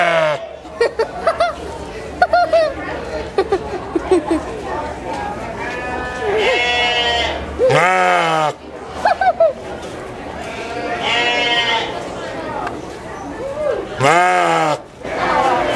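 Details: Sheep at the 2011 Washington County fair in New York, calling for its mother: about four loud, wavering, nasal bleats spaced a few seconds apart, with people talking nearby and indoor fair chatter between calls.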